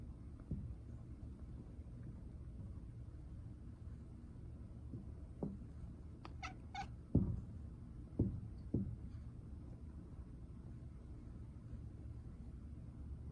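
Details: House cat watching a bird, giving odd short chirping calls in a loose cluster midway, a few sharp bright ones followed by softer clipped notes, with a low constant background rumble.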